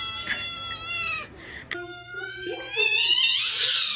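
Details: Short, repeated cat meows, bright and high, a few quick calls followed by a longer, harsher, strained cry at the end, with faint background murmur.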